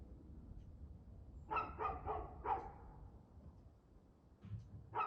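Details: Evening dog barking recorded at 6:02 pm, 6 February 2024: a fast run of four harsh barks mid-clip, a pause, then two more barks at the end over a low background hum.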